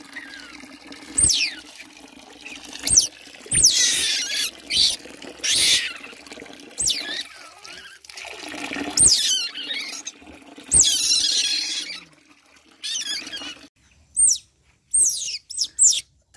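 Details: Young otter being bathed, giving a series of high, sharp squeaks that sweep up and down, repeated every second or two with short pauses, over splashing and running water; quiet gaps near the end.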